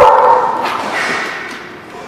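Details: A dog at The Barking Lot, recorded 4/1/17, giving a single drawn-out bark that fades over two seconds.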